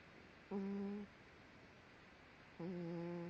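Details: Daisy, a pet dog, snoring while asleep indoors, a person asking what she is dreaming about: two steady, humming, nasal tones with clear overtones, each about half a second long, about two seconds apart over a quiet room background.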